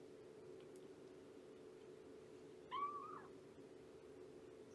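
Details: Morning meow from Shelby, an abandoned mother cat of about two years later taken in by Purrfect Pals: one brief call that dips and then lifts slightly at its end, against a constant background hum.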